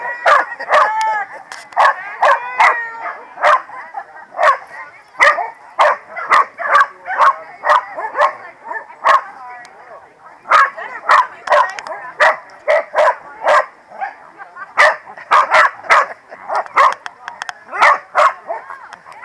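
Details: Corgis barking at the PWCCGS NJ Corgi Funday Sunday 2017 gathering: a rapid, nearly continuous run of sharp, mid-pitched barks, several dogs overlapping, with human voices mixed in.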